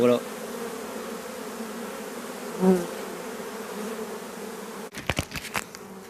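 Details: Continuous low hum of honey bees from a drone-laying hive whose laying bees were shaken off their frames away from the apiary; an even, unbroken drone, with one short voice and a burst of sharp clicking near the end.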